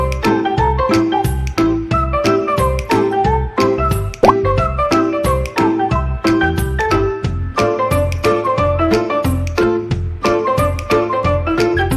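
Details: Cheerful children's music with plinking, bell-like tones playing steadily throughout, with no animal voice heard.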